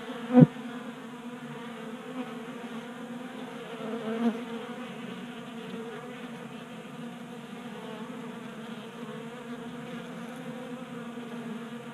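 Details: Honey bees at a tabletop 3D printed feeder in a garage in Colorado, January warm spell, bees burning winter stores: softer constant hum of wings, broken by a sharp click near the start and a small knock midway.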